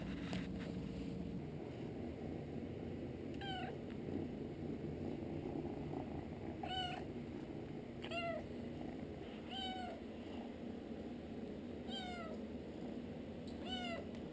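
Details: Kitten found at a workplace and carried home in a toolbox, meowing during its first bath: thin, high meows sliding downward in pitch, repeated every one to two seconds over a steady low background rumble.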